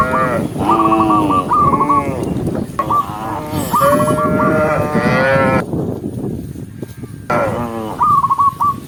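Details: Huge herd of tame cows walking by day across open countryside, several overlapping deep, drawn-out moos with rich harmonics rising and falling, mixed with repeated high whistled chirps and a steady background rumble.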